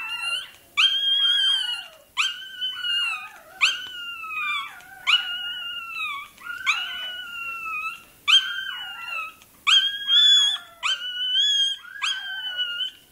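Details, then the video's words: Puppy of the toy terrier breed during tail docking, yelping in a steady series of about nine sharp, piercing cries, roughly one every second and a half, each dropping into a falling whimper. "Docking tails puppy. Купирование хвостика щенку той-терьера."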